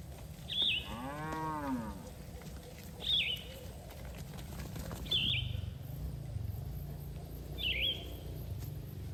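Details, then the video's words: Cattle grazing in a green field: a single brief moo rises and falls about a second in. Around it, a bird chirps sharply four times at steady gaps. "Suara Sapi Moo"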